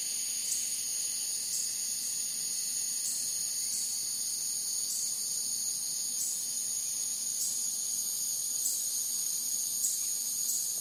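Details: Cicadas at night, in an outdoor swamp setting, make a steady, high, hissing drone that never breaks.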